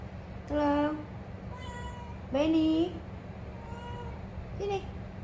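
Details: Pet cat at home in Bali answering calls of its name with meows: two clear, slightly rising mews about two seconds apart, then a short third one, with a woman speaking softly in the background.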